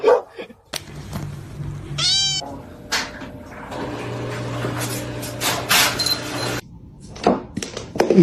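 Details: Domestic cat in a funny pet compilation, giving a single brief rising-and-falling meow partway through, over a steady low hum, with scattered knocks, rustling and indoor background noise.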